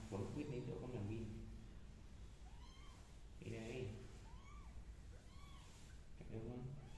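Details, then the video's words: Indoor kittens crawling over a carpet make four short, high meows, each curving up then down, spaced about a second apart between bursts of a man's quiet Vietnamese speech. "The kittens crawling on the carpet and meowing are so cute"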